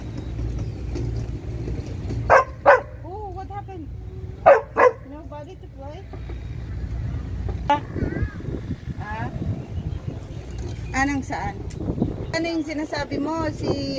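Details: A dog on a table gives a few sharp, loud barks in two quick pairs while a woman chats nearby offering treats, on a rainy day.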